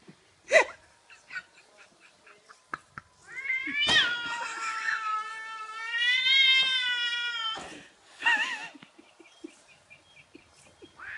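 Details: A cat indoors, angry at a balloon shaped like a cat, lets out a long drawn wavering yowl after a few clicks and thumps. The yowl rises, wobbles and fades, with scuffling sounds after.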